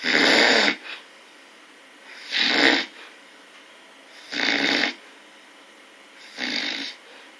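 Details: Four loud, grating snores from a bear, one about every two seconds, the first strongest and later ones slightly softer, separated by low background hiss.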